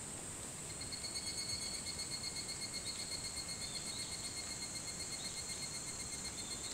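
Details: Evening cicada sounding in the early morning of 28 July 2011, 4:30 a.m., on Hitotsubashi University grounds, Kunitachi, Tokyo; bright high rhythmic pulses roughly four per second, loudest early and steady throughout, backed by other cicadas and a low rumble.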